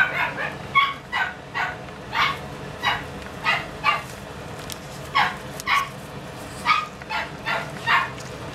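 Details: Pomeranian puppy giving a steady run of short, sharp high yaps, about fifteen in eight seconds, evenly spaced with brief pauses and a soft background hum.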